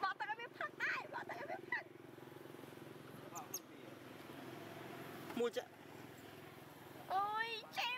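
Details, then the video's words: Baby monkey Bailee, a wild monkey in Asia, crying after being attacked by the adult monkey Amara: bursts of harmonic, wavering wails at the start and again near the end, with people talking and a low vehicle hum between. "Poor Baby BAILEE got Torture by AMARA Adult Monkey, BAILEE Scary Extremely Crying"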